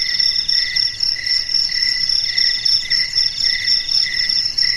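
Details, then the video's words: Crickets at night, heard in a quiet, dark setting: a dense, continuous high-pitched shrill trill pulsing in fast, slightly uneven bursts, with two steady bright tones layered together and no other sounds. "SUARA JANGKRIK MERDU DI MALAM HARI"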